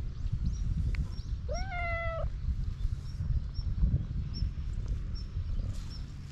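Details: Hungry cat on a cat island in Japan: one short, slightly rising meow near the middle, otherwise faint chirps and steady low rumbling noise outdoors.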